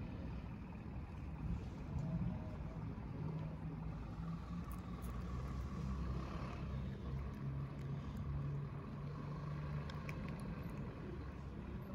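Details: Steady low engine-like rumble with faint hum and scattered clicks, no animal voice heard.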